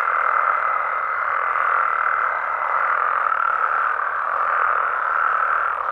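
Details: Frogs and toads calling at night in their natural habitat in Mexico: a dense, unbroken chorus of overlapping mid-pitched croaks forming a steady wall of sound, with a thin, level, higher tone running through the first three seconds.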